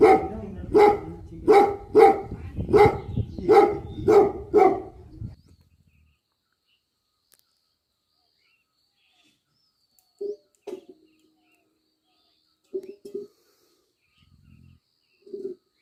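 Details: Bhote Kukur, the Tibetan Mastiff guardian dog of Nepal, gives a fast burst of about eight booming barks. Near silence follows, broken by a few faint, distant woofs.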